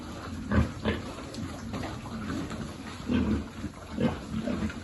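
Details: Piglet being fed at a pig farm, giving deep low grunts in small clusters, about four bursts over five seconds, with soft chewing sounds between them.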